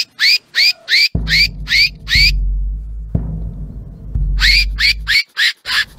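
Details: Fox in mating season, calling: bursts of short, bright, rising barks repeated about three times a second, a group of six, a gap, then another run, with low steady thumping underneath.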